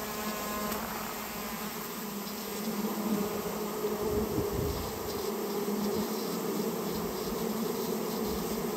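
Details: Japanese honey bee colony removed on request from a nest built inside a storehouse; a steady, dense droning hum with low tones and overtones, holding level throughout with faint higher hiss.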